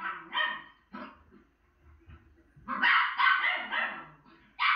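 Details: A female Miniature Schnauzer watching herself on TV gives sharp, high-pitched barks in quick bursts, some doubled or run together.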